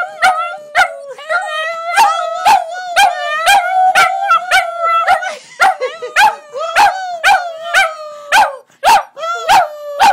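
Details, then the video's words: Several Border Terriers howl together with their owner in a singing session; layered wavering howls at a fairly constant pitch broken by frequent sharp yelps about twice a second. "Border Terriers Howling"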